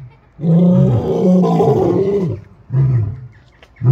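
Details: A lion roar swells into a drawn-out, throaty bellow lasting about two seconds, followed by shorter deep grunts after brief pauses.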